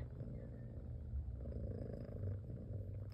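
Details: Mother domestic cat with newborn kittens nursing, giving a continuous low purr, an even rumbling drone with slight rhythmic pulses, quiet and unbroken for the whole stretch.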